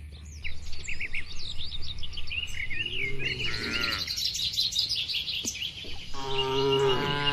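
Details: Free-grazing cattle in a broad oil palm plantation moo twice, a long low drawn-out call midway and another toward the end, while birds chirp and twitter continuously in the background.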